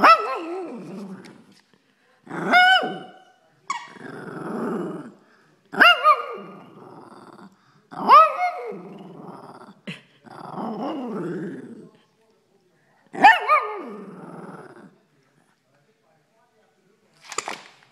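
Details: Sadie, a female Shih Tzu, growling and barking because she wants her toy now; harsh rasping growls end in sharp bark onsets, about seven bursts spread over eighteen seconds with short silences between, her name called just before.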